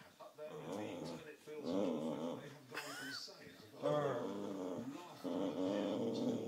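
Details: Baxter, a Boxer dog, growls while playing tug-of-war indoors: a wavering, moaning growl with harmonic tones sliding up into a few higher notes, rising and falling in long bursts, with a person talking over it.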